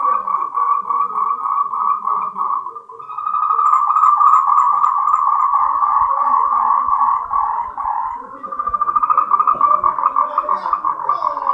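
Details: Moltrecht's green tree frog, a species endemic to Taiwan, giving its mating call: a dense, rapid pulsed trill in a mid pitch that runs almost continuously, with brief dips near three and eight seconds.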